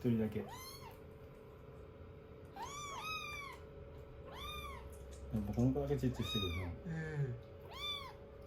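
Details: Rescued kittens clinging to a lap after their shampoo and hair-dryer session, day 16 of a growth record: loud, regularly repeated arching meows roughly every second, with a person speaking midway.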